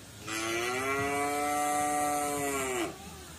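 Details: Free-ranging white village cattle in a garden: a single rich, steady moo lasting about two and a half seconds, dropping slightly in pitch as it ends.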